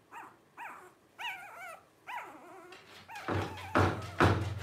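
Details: Five blenheim Cavalier King Charles Spaniel pups at 12 days old. A few short, rising and falling squeals come first, then loud thumping knocks take over near the end.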